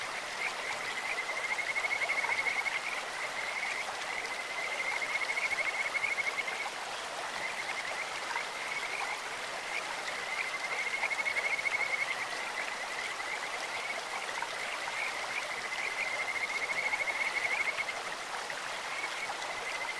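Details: Kajika frogs sing along a clear stream, their birdlike voices forming high trilled whistles of one to three seconds that recur throughout, accompanied by the steady roar of flowing water.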